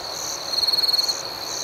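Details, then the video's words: A cricket at night delivers one quick pulsed trill of about a dozen rapid, evenly spaced beats, standing out against a constant shrill chorus of other crickets. "Soothing Cricket Sounds"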